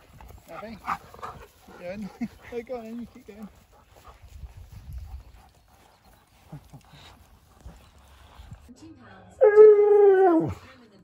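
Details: Siberian Husky reacting to hearing his favourite words and his best friend's visit: a few short wavering, yodel-like vocal notes, a quiet pause with soft talking, then one loud drawn-out howl that slides downward at the end.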